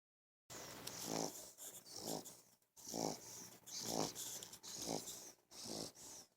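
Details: Eleven-week-old English Bulldog puppy stretched out asleep on a bed, snoring loudly: rough, snorting breaths with a noisy wheezing edge, repeating about once a second in an uneven rhythm.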